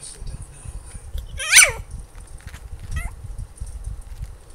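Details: An 8-week-old female Maltipoo puppy barks for treats she can't reach, giving a sharp, high yelping bark that slides downward, then a fainter second yip.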